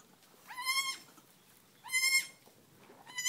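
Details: Nigerian Dwarf newborn kids, under five minutes old, bleat on a farm. Three high, quavering bleats arrive roughly every one and a half seconds, each sweeping up briefly and then holding level, against a quiet background.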